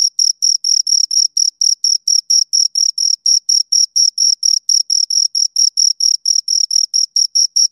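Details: Two crickets chirping: a clean, high-pitched chirp pulsed about four times a second, around thirty even bursts, with a fainter higher overtone and nothing else heard.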